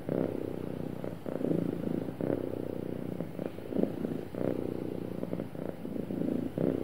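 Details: Happy domestic cat purring smoothly, a steady low rumble pulsing in soft swells roughly every second, with breath-like surges of louder purring between quieter stretches; no other sounds stand out.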